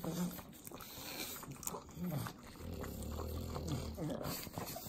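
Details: Pugs, three dogs eating butter in Southern California, give sloppy licking clicks with low throaty snorts and a short grunting growl near the middle, wet smacking sounds continuing to the close.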